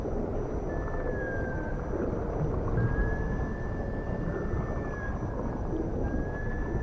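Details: Dolphin calling in the ocean: long, thin, level whistles, some gently rising, repeated about every two seconds over a steady low underwater rumble.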